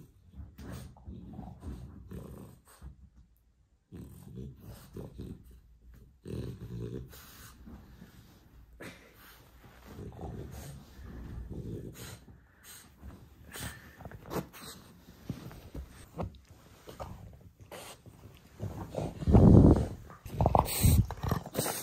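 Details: A French Bulldog in its first minutes after waking up gives low, rough grunts and snuffling breaths in uneven bursts with short pauses, swelling near the end into a louder, harsher snort before trailing off.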